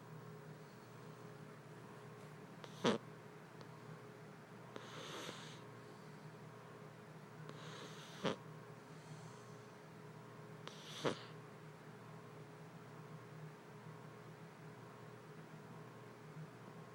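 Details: Sleeping kitty snoring indoors, soft breathy rasping bursts every three seconds or so over a low steady hum, with a sharp click early on.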